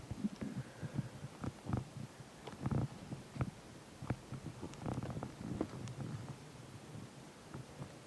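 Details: A dog that is tired and asleep after a walk, snoring. Soft, low rumbling snorts come in short, irregular bursts, with a few sharper clicks among them, and steady low background hum.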